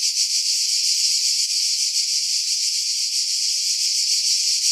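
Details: July cicadas in pines at Pefkos Bay, Skiros, Greece, 2018; loud sizzling high-pitched trill holding steady throughout with faint pulsing, low frequencies filtered away.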